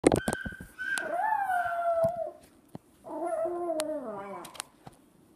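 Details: Dog crying in response to a young boy making a noise that sounded like crying; two long drawn-out harmonic wails, each held then sliding downward, with a few sharp knocks at the start.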